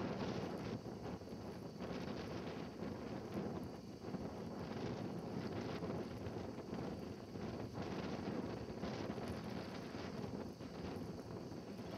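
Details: Steady wind buffeting the microphone, with a low roar and no animal calls audible.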